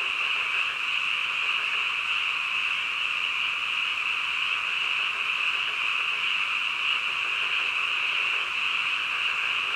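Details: Frogs calling in the middle of the night: a dense, unbroken chorus that merges into a steady, shrill trilling drone. No single voice stands out, and the level stays even throughout.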